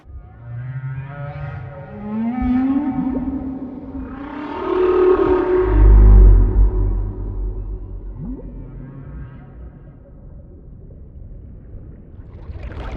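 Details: Humpback whale (Megaptera novaeangliae) males sing, low drawn-out moans that swoop upward and fall, mixed with deep grunts.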